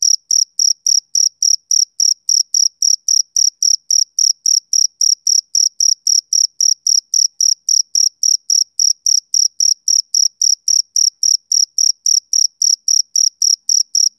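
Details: Rhythmic chirps of a male cricket. Sharp, high, evenly spaced pulses repeat around three and a half times a second in a long unbroken run, with nothing else audible.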